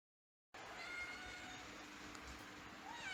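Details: Domestic cats or kittens playing and meowing indoors: after a half-second gap, thin high tonal meow lines sit over a dense, rustling broadband background, with a brief rising cry near the end.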